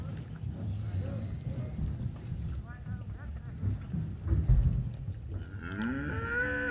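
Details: Yearling Aberdeen Angus heifers in Alegrete, from a lot of 32. Steady low rumbling and shuffling lead into a rising, nasal moo near the end, which cuts off abruptly.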